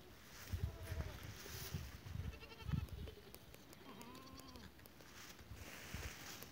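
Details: Goats on 12 April 2023: faint scattered bleats early, then a clearer drawn-out bleat that rises and falls at about four seconds, over a constant low rumble and background noise.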